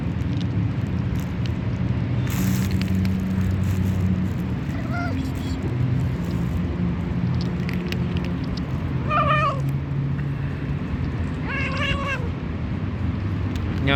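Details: Fat white stray cat, very hungry, calling while being fed outdoors: three short meows, the later two sharper and clipped, between stretches of a person talking softly, with constant low background rumble.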